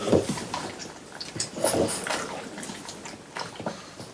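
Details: French Bulldogs munch watermelon indoors in summer, close-miked: a few juicy, squelching bites and smacks, the loudest near the start and again after a second and a half, then softer licking.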